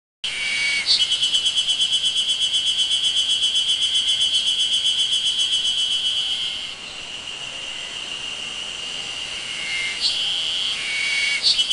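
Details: Ezo spring cicadas sing on Mt. Moiwa on 31 May 2012, a high, rapidly pulsing buzz that fades into a steady ringing drone; the cicadas themselves are not seen.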